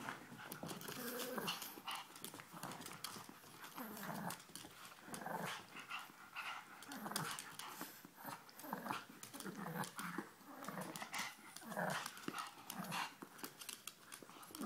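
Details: Two puppies, Ella and Duke, playing indoors in a small room: low rumbling growls and grumbles rising and falling in bursts, with panting and scuffling clicks throughout.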